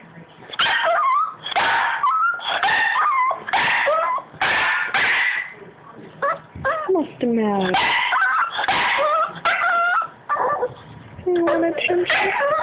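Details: A Boston Terrier whines and yips in high, wavering, nasal cries for attention while his owner asks what's the matter.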